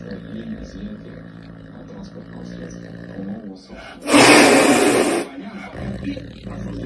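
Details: Female caracal, born October 2017, giving one loud, harsh, breathy hiss lasting just over a second, rising suddenly out of quieter background music and a woman's voice speaking Russian.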